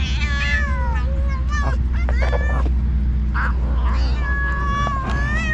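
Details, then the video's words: On the cat island, two alpha stray cats heading separate cat groups quarrel vocally during a feast. Overlapping meows rise and fall in quick succession, some drawn out into wavering wails, above a constant low background hum. "While all the cats on the cat island are eating food, 2 alpha cats are fighting by talking."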